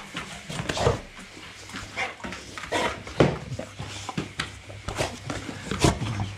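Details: American Staffordshire Terrier, 11 months old, greeting its owners on their return after a week away, indoors in a small room; short scattered whining and yelping bursts, irregular, with people's voices and movement around.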